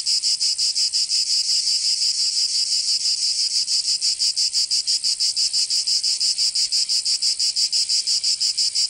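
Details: In the southern French region of Provence, cicadas sing through the summer heat: a strident, high-pitched buzz throbbing in regular rapid pulses, about three each second, sustained without a break.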